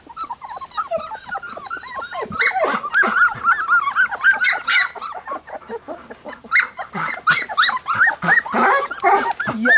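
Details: A litter of three-week-old Golden Retriever puppies keeps up a dense chorus of overlapping high squeaks and short rising-falling whines. The cries come in uneven bursts with no pauses, and some human voices can be heard in the background.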